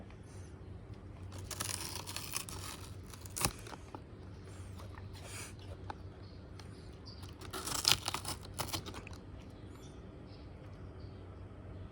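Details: A Shiba Inu dog crunches and tears through outer Chinese cabbage leaves indoors, with bursts of crisp chewing and no calls or barks.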